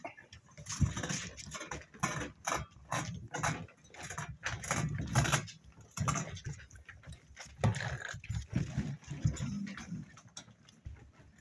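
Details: Spaniel pups, seven weeks old, play-fighting with a steady run of low rumbling growls and grunts, mixed with sharp scratching and scuffling clicks throughout.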